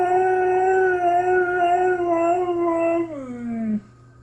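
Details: A pet Husky howls in a talking manner at home, a long wavering tone held about three seconds, then sliding down at the end; a person talks to him between vocalizations.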